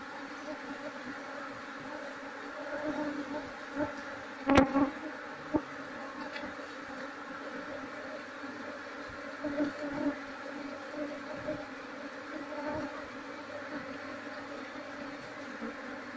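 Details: Wild honey bee colony, Apis cerana, being searched for its queen so it can be moved into a hive box: a steady low buzzing hum with harmonic bands, broken by a few sharp clicks and knocks.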